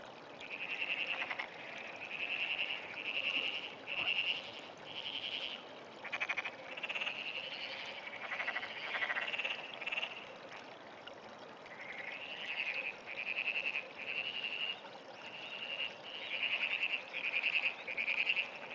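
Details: Frog calling often in the early morning of 17 June 2009: a near-continuous run of short, pulsed, rattling croaks, each burst under a second and repeated about every second, over a steady wash of running water.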